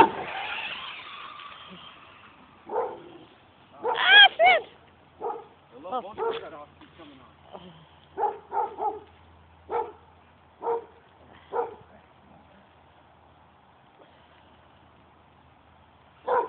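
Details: Pet dogs playing with a remote-control car: after a man calls one of them over, sharp barks and short yips burst out irregularly, around a dozen in quick clusters, with a thin whine and a low motor hum underneath.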